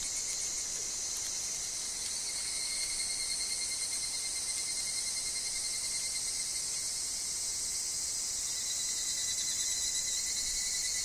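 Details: Higurashi, evening cicadas, calling in a forest, with wind and falling leaves: a dense, steady, very high shimmering chorus of many insects, with a thin constant tone lower down and a faint pulsing texture throughout.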